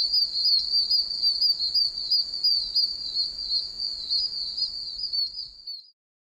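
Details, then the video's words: Wild oak toads calling together from puddles in a soaked wilderness area, a shrill, deafening high-pitched chirping chorus that throbs rapidly, then cuts off abruptly, leaving silence at the end. "Oak Toads (Anaxyrus quercicus) Super Loud!"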